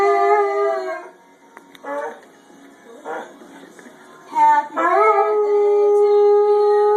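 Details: A white Labrador Retriever gives long, steady, mournful howls, joining in as people sing Happy Birthday.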